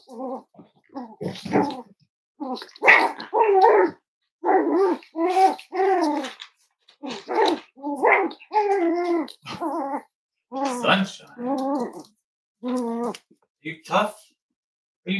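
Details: Cavalier King Charles Spaniel puppies, five weeks old, from Myra and Remy's litter at Red Barn Cavaliers, indoors: a long string of thin whines, squeaky yips and small barks, some tones rising and falling, with short pauses between.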